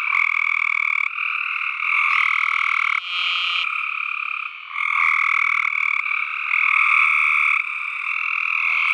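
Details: Tree frogs calling in a dense, unbroken chorus of buzzy croaks, a steady two-toned drone with the overlapping voices swelling and shifting every second or so, with no other sounds.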